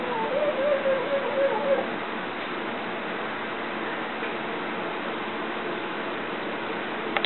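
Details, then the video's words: Pug named Bogey yodeling indoors at something outside: a wavering, tonal, howl-like vocal lasting about two seconds with a faint upper harmonic, followed by quiet room hum and a couple of soft clicks at the end. "Yodeling Pug"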